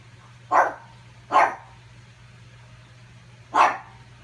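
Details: Pug barking at its own reflection while trying to get its ball, spending the afternoon at it; three short sharp barks, two close together then one after a two-second pause, over a steady low hum.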